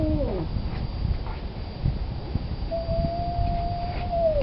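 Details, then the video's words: Male cat in heat moaning for a fixed female: the tail of a falling howl, a quiet stretch with low rumbling background, then a long, even, drawn-out wail. "The Howl of a Male Cat in Heat!"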